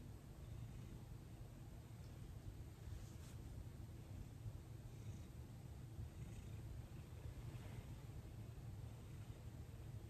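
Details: Domestic cat named Thomas purring during his first massage, December 6, 2021, about 18 days after arriving in his new home, calm and cooperative as hands work over his body; a steady, low, continuous rumble runs unbroken throughout, with only faint background hiss.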